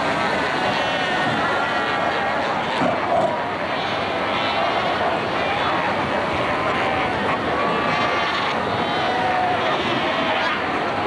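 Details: Dense chorus of many Cape fur seals at Cape Cross on the Skeleton Coast of Namibia in 1992, adults fighting and rearing pups; constant overlapping harmonic bleats and moans rising and falling over a continuous rumbling wash.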